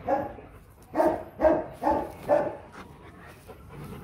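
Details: Rottweiler guard dog at a Rottweiler kennel, giving a powerful bark: five deep, loud barks in a quick run of about one and a half seconds, then quiet.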